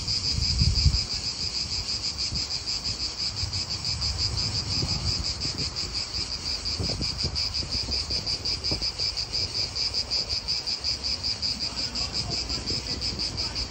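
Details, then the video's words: Cicadas in an Italian park give a continuous, high, shimmering buzz with fast regular pulsing. Soft low wind rumble sits underneath, with a brief thump near the start. "Cicadas wind real atmosphere in an Italian park"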